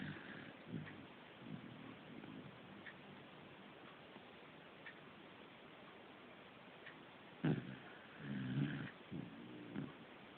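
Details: Corgi snoring indoors in a small room: soft, low, rough snorts with short harmonic bursts near the start and a louder cluster of snorting breaths toward the end, otherwise quiet background.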